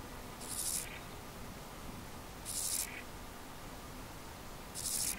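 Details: A singing male Iberian field grasshopper (Chorthippus jacobsi) in the Sierra Nevada, Andalucia, Spain, on 6 July 2022, sings short, dry, hissing buzzes repeated about every two seconds.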